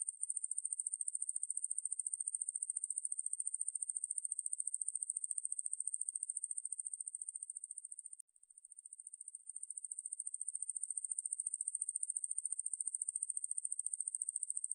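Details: Conehead katydid Ruspolia lineosa, from a National Institute of Biological Resources recording, gives a sustained shrill buzz of fast, regular pulses that fades briefly about halfway through before resuming at full strength; the background is otherwise silent.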